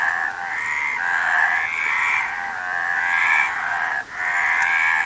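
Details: A near-continuous chorus of frogs, many buzzy trilled croaks overlapping into a steady rattling wash that swells slightly and dips once in a brief gap near the end.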